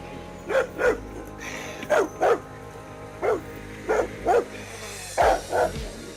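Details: A Rottweiler (Canis familiaris) barks in deep, paired woofs, repeated about every one and a half seconds over soft background music.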